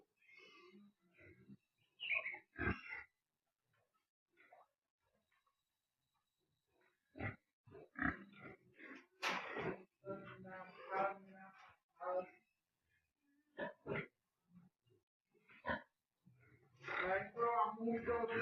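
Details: Wild boar being collected and put back into a cage: irregular bursts of short rough grunts and harsh squeals, some clustered quickly, separated by quiet gaps, with people's voices mixed in.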